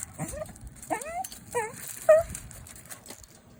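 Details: West Highland white terrier greeting its owner with four short, high, rising whimpers, each a quick upward-bending whine spaced about half a second apart, the last one louder and held a little longer.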